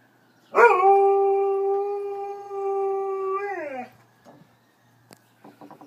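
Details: Luna and Hudson, two dogs, howling after hearing a siren: one sustained, steady tonal howl of about three seconds with a sharp onset, sliding down at the end, then brief faint clicks and rustles.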